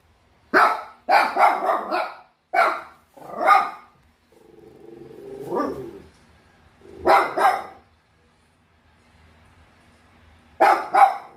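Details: Bichon Frise dog barking in bursts of sharp, quick barks separated by short silences, with a lower drawn-out whine midway and a final pair of barks.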